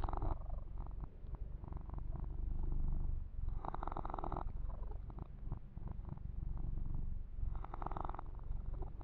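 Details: Kitten, male, purring continuously during a massage with fur grooming, recorded ear to ear: a deep pulsing rumble that never stops, overlaid by short swishes of hands rubbing fur near four and eight seconds.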